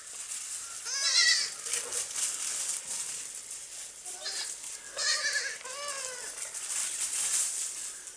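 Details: Baby goats at play on a farm, jumping about; repeated short quavering bleats arriving in clusters, some overlapping as several kids call, with steady background hiss.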